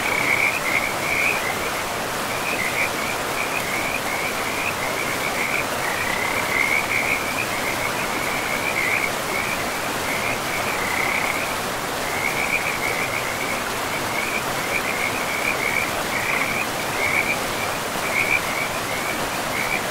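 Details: Frogs beside a forest river, giving short high trilled bursts one after another with brief gaps throughout, set against the steady roar of running water.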